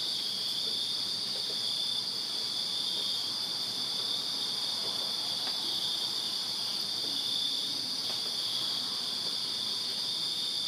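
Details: Backyard crickets in Virginia calling together on a summer night, merging into a steady, piercing, high trill with no gaps, plus a faint higher overtone-like layer and light scattered ticks.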